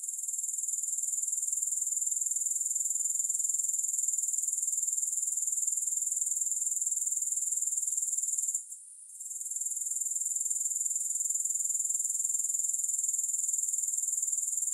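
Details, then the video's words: Unbroken shrill insect buzzing from grasshoppers, no music, pulsing evenly around four times a second for most of the stretch, with one brief hush just before the nine-second point. "Grass Hopper Sounds"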